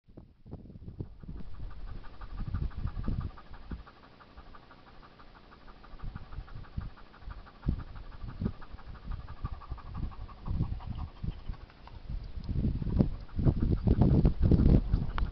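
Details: Šarplaninac dog panting in quick, low, rhythmic breaths, roughly four per second, steady through most of the recording, with louder rustling and handling noises toward the end.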